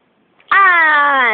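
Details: Domestic cat indoors giving one drawn-out, clearly harmonic meow lasting about a second, steady in pitch and then sagging slightly at the end, with a quiet room behind it.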